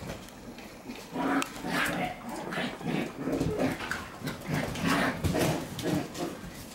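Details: Shiba Inu puppies play-fighting, several at once, with repeated short rough growling bursts and yaps roughly every half second, scuffling between bursts.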